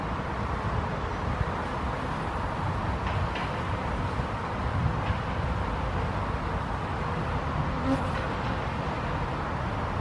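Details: Honey bees drinking water from a stone bowl on a hot summer day in Helsinki, Finland, in June 2021, give a steady, low droning buzz that hums on without pause.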